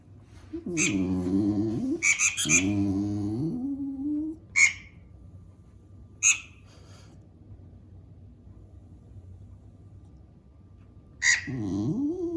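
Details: Pet dog complaining about squeaks from a mouse game for cats on a tablet; two long, low, wavering groans early, scattered high game squeaks over a quiet stretch, then another groan at the end.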